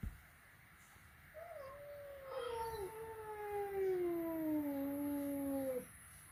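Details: Flat-nosed cat first meeting a peak-nosed cat indoors at home, giving a single long wailing yowl of about four and a half seconds that wavers, then glides gradually downward before stopping abruptly.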